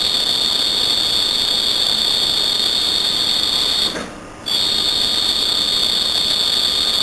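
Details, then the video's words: Night-time cricket singing what may be its calling song, a sustained piercing high-pitched trill that stops briefly for about half a second before resuming, with background hiss. "Cricket chirping"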